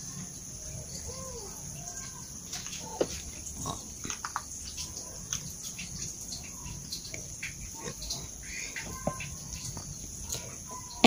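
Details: Young village kittens at a breakfast feed, including a white one, letting out a couple of thin rising-falling mews early on, followed by scattered feeding clicks and taps under a constant high-pitched hum.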